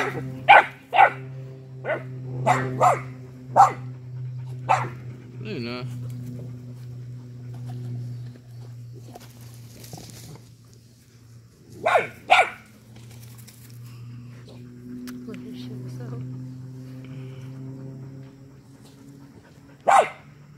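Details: Two mixed-breed working dog puppies try to herd a young rooster that stands its ground. Bursts of short, high yapping barks come in clusters, with a long quieter stretch between them and a constant low hum underneath.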